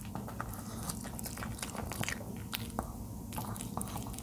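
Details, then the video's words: Charlie, a 13-year-old male dog, crunching on napa cabbage indoors in a small room; dense irregular bites and chewing crackles, each a sharp broadband click, continuous over a low room hum. "노견의 ASMR 먹방_알배추"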